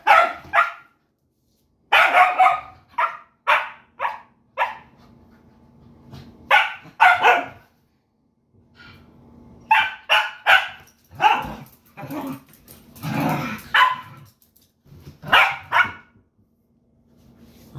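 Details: Two pet dogs playing together at home; one barks loudly and repeatedly in rapid bursts of sharp barks with short pauses, and a person talks softly between them.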